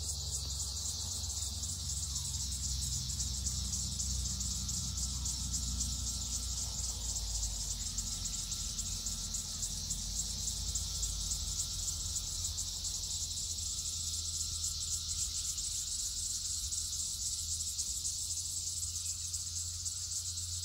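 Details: Chorus of red-eyed cicadas, millions present on the land in 2021, many on a single tree; loud continuous high-pitched buzzing drone with a steady pulsing texture, low rumble beneath.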